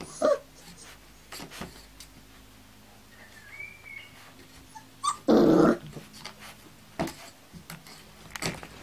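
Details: Kuvasz puppies of the Crystal Diamonds litter from Armani Niclas and Arika Majna-menti Mákvirág, 14 July 2014: a thin, rising whimper, then a short, loud, rough yelp, among clicks and rustling indoors.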